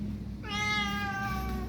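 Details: A Thai street cat being fed gives one clear, drawn-out meow lasting over a second, steady and gently falling at the end, over a low background hum, as a person coaxes it in Thai to give its paw.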